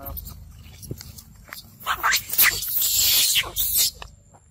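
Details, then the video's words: Wild baby monkey of the Amber Group in distress, crying out with harsh, high-pitched screeches that swell into a loud, sustained outburst in the middle of the clip, with softer scattered calls and rustling before and after. "Poor wild baby monkey wild of Amber Group"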